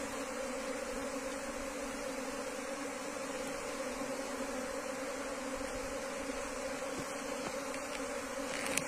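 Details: Asian honey bees from a wild colony being moved into a cultivation hive box, giving a steady, dense droning hum with two low tonal layers, unbroken throughout, plus a few faint clicks near the end.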